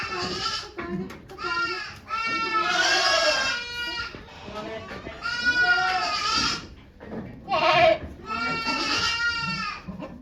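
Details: Goat birth at Yoshigake farm on 3 May 2023: Okayu delivering two kids while volunteers look on. A run of repeated, loud, tremulous bleats, some long and some clipped, alternating with brief gaps and murmured human speech.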